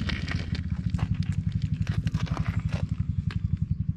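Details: Silver tabby stray cat relaxing on a park bench while being petted, recorded close on a GoPro HERO8: a low, steady rumbling purr pulsing rapidly, with scattered scraping and rustling handling noises above it.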